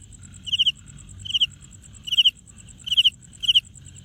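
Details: A cricket rubs its wings together to make sound, giving clear, high chirps of three or four quick pulses each, spaced irregularly about a second apart, with a continuous rapid high-pitched ticking underneath.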